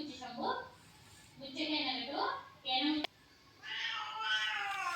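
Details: Sulking pet cat, refused a massage, meows repeatedly while a person talks to it indoors; several drawn-out, wavering meows with rising and falling pitch alternate with spoken words and a sharp click.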